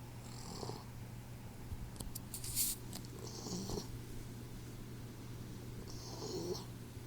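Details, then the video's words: Troy, a 4-month-old Boxer puppy, snoring while asleep indoors: soft, breathy rasping snores recurring about every three seconds, with a steady low hum underneath. "Snoring Boxer Puppy"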